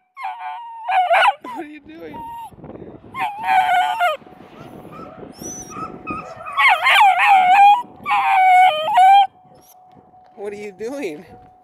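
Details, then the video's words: Beagle puppy, a young female in Stevensville, calls out loudly wanting to play with other puppies: wavering, yelping bays in clusters at the start and again midway, with a person talking to her in between. "Talking Dog Cute Beagle Puppy a Beagles Funny Baying"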